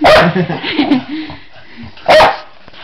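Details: Male Jack Russell Terrier cross, a pet humping its owner's leg, gives one sharp bark, then low throaty grumbling and a short whine, then a second sharp bark about two seconds later.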